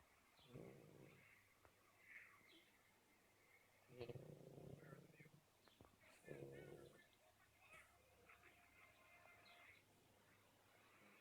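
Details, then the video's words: Black Shar Pei puppy asleep and snoring, low rasping breaths rising in bursts every two to three seconds, with faint rustling between them. "Shar pei puppy snoring!!!"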